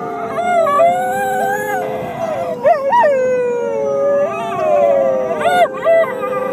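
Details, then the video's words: Whippets howling together: several overlapping long, wavering tonal howls sliding up and down, with brief sharp rising yelps near the third and fifth to sixth seconds, sustained throughout with no pauses. "Traveling Whippet Band"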